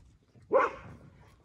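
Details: A Border Collie, one of seventeen kept at a kennel, gives one sharp, loud bark that quickly fades, while names are called out one after another in an otherwise quiet room.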